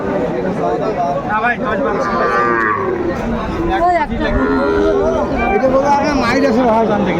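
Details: Sahiwal bull calves and other cattle at a busy market in Kurigram, Bangladesh, July 2024, lowing in long, wavering moos that overlap one another, with men talking loudly in the crowd throughout.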